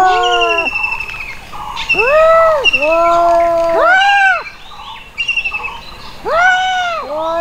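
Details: Domestic cats fighting: a run of drawn-out, arching yowls and wails that rise and fall, overlapping and answering one another in quick succession, with higher thin whines layered above.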